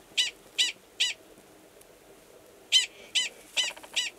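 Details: Gunnison's prairie dog male calling to mate beside a burrow where an estrous female waits, New Mexico, March; clipped high barks in an evenly spaced run of three, a pause, then four more.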